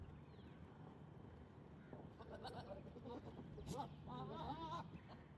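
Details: Goats in mating season, males using strange sounds, gentle touches and competition to court females among pregnant females grazing; a wavering, quavering bleat rises near the end over steady low rumbling background noise and scattered rustling.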